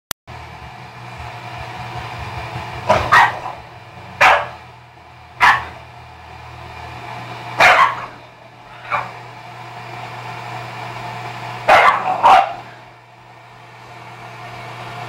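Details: Dog Jewel barking to make another dog, Stella, back off: a few sharp, single or doubled barks spaced several seconds apart over a steady low hum.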